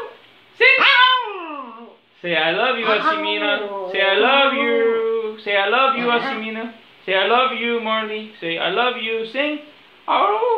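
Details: Small Maltese dog singing on cue: long, wavering howls that slide up and down, one falling whine first, then several drawn-out yowling phrases with breaks between.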